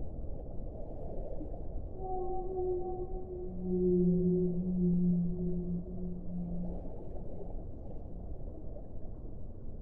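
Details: Whale moaning: a single long, low sustained tone with faint higher overtones, swelling and fading over several seconds against a steady muffled background rush.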